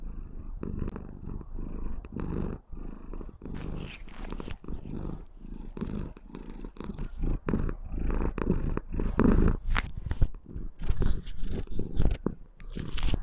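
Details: White female Maine Coon kitten purring sweetly and loudly while showing love and affection to her owner: a steady, low rumbling purr that swells and fades in a pulsing rhythm with each breath.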